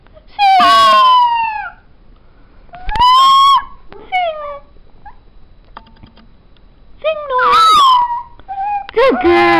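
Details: Black and tan female New Guinea singing dog at home letting out loud falling wails and shorter yips and whines in bursts, with quiet stretches and faint household clicks between calls.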